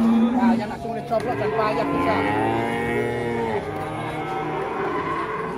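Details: Cattle in Indonesia produce a drawn-out, wavering moo through the middle, partly blurred by crowd noise, clapping and music.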